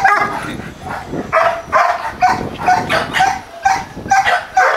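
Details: Two Dobermann Pinschers kept at a kennel in Arnos Vale, St. Vincent and the Grenadines, barking in a steady run of sharp, fairly even barks, roughly two per second, over low background noise.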